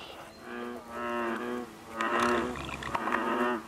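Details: American bullfrogs calling in the Basha Kill Wetlands on June 6, 2011; deep, droning harmonic notes about half a second long, overlapping from several frogs, with some louder calls near the end.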